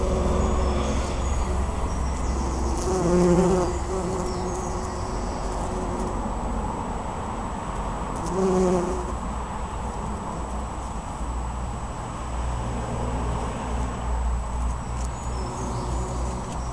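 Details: Bumblebees at work on a white flowering bush in Pulford during June 2015; two brief low droning buzzes stand out above a steady broadband rumble that dominates the rest of the recording.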